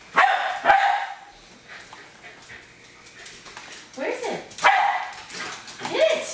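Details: Jack Russell Terrier Hali, a household pet, lunging at a remote controlled car; two quick gruff barks open, then a lull with human voices, before more barks return near the end.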